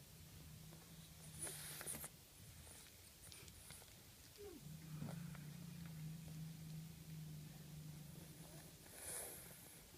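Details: Domestic cat with slight rhinitis snoring while asleep: a low, steady droning rumble for about two seconds, a pause, then a longer continuous rumble of roughly three and a half seconds, with faint clicks and rustling.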